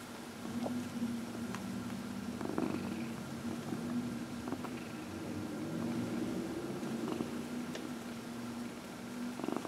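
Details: Dinah, a 14-year-old shelter-raised cat, purrs steadily while receiving her regular early-evening massage on a lap; a continuous low, even purr runs throughout with small soft rustling sounds.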